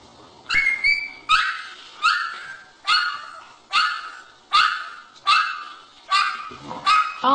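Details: Puppies in a compilation of funny dogs, possibly trying to play, give a run of high, sharp yipping barks, about eight in seven seconds at an uneven pace, each bright and noisy with a quick fade.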